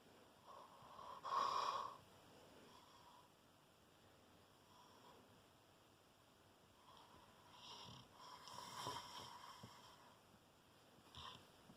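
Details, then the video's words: Falco, a Rottweiler, snoring: a few separate rasping breath bursts, the loudest near the start and others near the end, with quiet stretches between them. "Falco rottweiler snoring."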